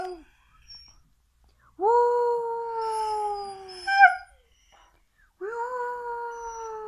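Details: Siberian Husky howling: two long, slightly falling tonal howls with rich harmonics, the first ending in a brief wavering rise, separated by a silent pause of about three seconds.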